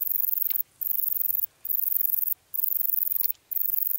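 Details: Bicolour meadow bush-cricket in Breitenbrunn, Austria, July 2020: a continuous very high, hissing buzz broken by short silent gaps about once a second, with faint scattered clicks below.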